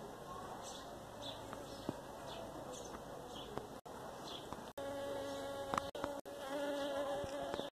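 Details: Buzzing honey bee (makhori) in Pakistan, its droning, tonal hum wavering in pitch and loudness as it flies close. Short ticks and several abrupt silent gaps break up the sound.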